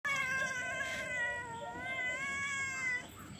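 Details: Cat giving one long, drawn-out meow of about three seconds, tonal and wavering gently up and down in pitch like a sung note, ending abruptly; quiet room background.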